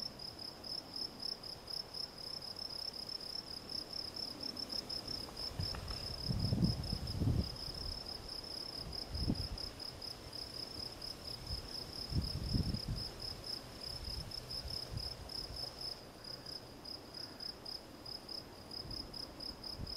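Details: Field cricket, Gryllus campestris, chirping steadily in a high, bright, pulsed tone that runs without pause through the whole stretch, with scattered low thumps and rumbles underneath.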